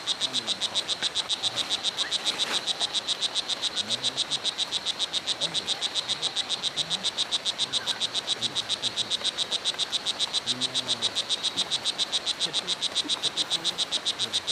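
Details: Strawberry poison dart frog (O. pumilio) at Hitoy Cerere Biological Reserve, Costa Rica, giving a long, very even train of high, buzzy chirps, roughly two and a half per second, unbroken throughout, over a faint low background murmur.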